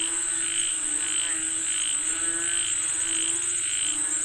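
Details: Calling for rain, frogs give rhythmic croaks about twice a second, each a short bright pulse, while a loud high insect buzz runs steadily underneath.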